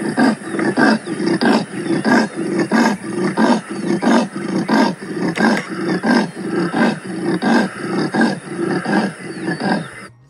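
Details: Leopard of the African savanna giving a choppy, rapid sawing series of deep rasping grunts, about twenty-five strokes in ten seconds at a steady rhythm, each a short coarse burst; no other sounds.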